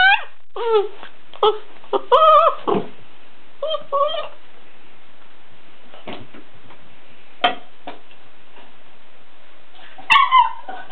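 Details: A Weimaraner called Sarge, unimpressed by his empty bowl, lets out several short yipping barks early on, then scraping and knocking sounds as the bowl is pushed about, and one last bark near the end.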